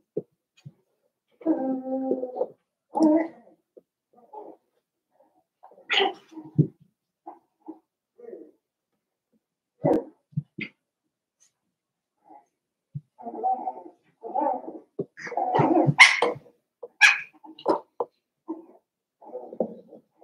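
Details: Daisy's litter of seven-week-old Cavalier King Charles Spaniel puppies in an indoor puppy pen in a busy home, giving short harmonic whimpers and whines in scattered bursts, some clustered and overlapping, with quiet gaps between.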